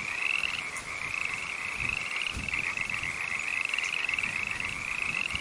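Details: A green frog in a rainforest calls with a continuous, rapidly pulsed trill, high and slightly wavering in pitch, rolling on without a break in long, even phrases over faint background noise.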